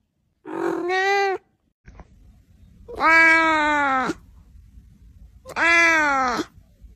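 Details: Domestic cat meowing: three drawn-out, rich-toned meows, each about a second long, the first shorter and the later two louder and slightly falling at the end, separated by quiet pauses with faint background rustle.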